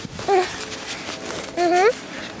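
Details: Two brief harmonic whimpers from 30-day-old Vizsla puppies of the Kalì and Fiuto litter. The first is short and level, and the second bends upward after a pause, against a quiet background.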